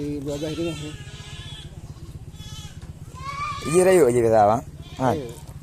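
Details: Goat kept for sale at Blangjrun in North Aceh, Indonesia: after a quieter stretch, a loud quavering bleat rises and falls, followed by a brief second cry, with a constant low mechanical drone underneath.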